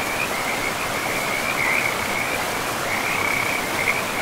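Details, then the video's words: Frogs near a river in deep forest give an unbroken, high-pitched pulsing trill with a short dip near the middle, all over the even roar of running water. "River and Frogs sleep sounds"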